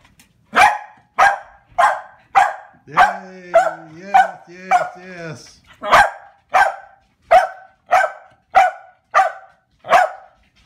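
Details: Corgis greeting their owner as he arrives home: a rapid run of sharp barks about every half second, broken in the middle by a drawn-out, wavering whining yowl, then more barks.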